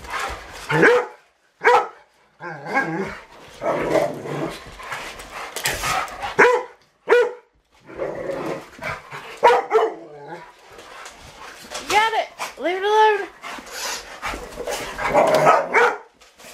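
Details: Rottweilers at play with a remote control truck bark in short separate bursts over several seconds, with grumbling growly sounds between, then a cluster of high, arching whines and yips before more rough barking.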